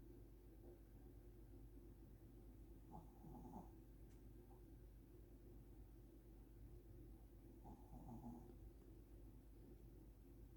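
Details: Old Shih Tzu dozing and snoring, watched by a curious baby; quiet low rasping snores come in two brief swells near three and eight seconds above a constant low household hum.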